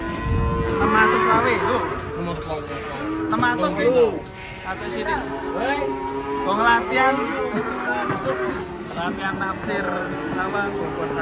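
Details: Cattle coming down off a truck, mooing again and again: loud, harmonic, wavering bellows follow one another for about eleven seconds, with background music and a few voices.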